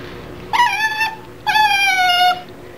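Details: An Asian small-clawed otter at Minamichita Beachland aquarium gives two drawn-out, harmonically rich squealing whines, each under a second and sliding slightly downward, separated by a short pause: a begging call for its favourite food, shishamo.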